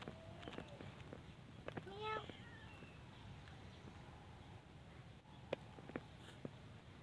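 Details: Cats at a pagoda, mother cats with kittens, asking for food: one brief harmonic meow rising slightly near the middle, amid soft clicks, taps and low background rumble.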